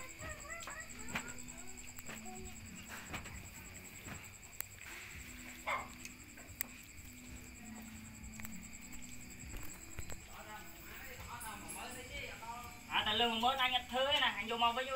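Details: Puppies being fed give a burst of high, wavering whines in the last two seconds, after a long, quiet stretch with a low steady hum and faint background sounds.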